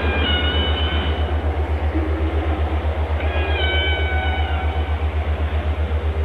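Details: Whale song with two bright, harmonic drawn-out tones, one at the start and one past three seconds, each falling gently, set against a persistent low rhythmic thumping about four times a second.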